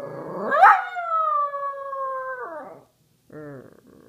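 A Samoyed gives a long, sustained howl that swoops up, holds, then slides downward.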